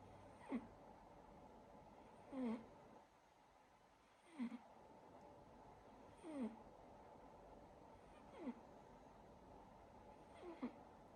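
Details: Sleeping silver Siberian Forest kitten snoring indoors: soft, regular breathy snores roughly every two seconds, each a short rasping puff, with quiet room hiss between them.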